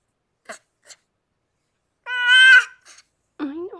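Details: Harlequin, a rescued pregnant cat in foster care, during the birth of her six kittens gives a single strong, strained meow lasting about half a second, framed by brief quiet human speech before and after.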